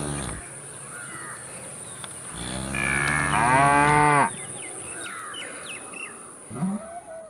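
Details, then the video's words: A cow lets out one long, loud, strained moo lasting about two seconds, preceded by a softer lowing; bird chirps and a steady hiss are heard around it. "Sound of Cows"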